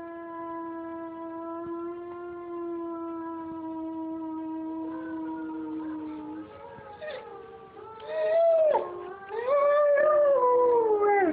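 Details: A young German Shepherd howls along to wolves at night. A long, steady, drawn-out howl holds for about six seconds. Then several louder, wavering howls rise and fall, overlapping one another.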